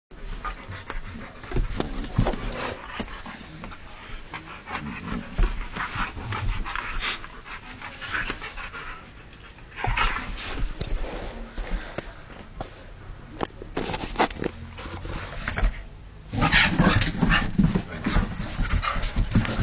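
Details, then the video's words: Husky panting and huffing in ragged, breathy bursts, a bit over two per second. Louder flurries come near ten seconds and in the final few seconds, with no clear howl or bark. "Husky gone wild!"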